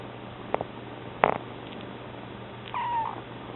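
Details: Newly arrived kitten giving one brief, weak, falling meow near the end, preceded by a couple of soft knocks, while another cat purrs in the room.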